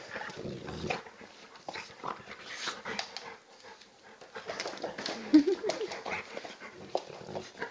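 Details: An Old English Bulldog puppy, 10 kg, play fighting indoors with a 40 kg Bullmastiff cross male; low grumbling growls and whines with snorting breaths and rustling movement.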